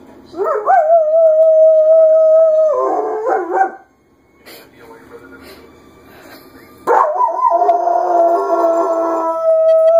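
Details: German Shepherd named Jamie howling in reaction to a passing fire engine's siren: long steady tones that rise at the start and break into wavering, yodel-like ends, two howls separated by a quiet gap, people faintly audible.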